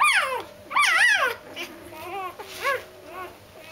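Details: Going to bed, Doberman puppies give two loud, bending whines in quick succession, then softer, fading whimpers trail off at the end.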